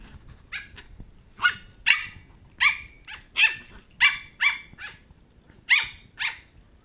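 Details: Pembroke Welsh Corgi puppies, one of ten, protesting at bedtime, recorded on a GoPro HD HERO2; high, sharp yapping barks in short bursts, often paired, about a dozen over seven seconds, over a faint background rustle.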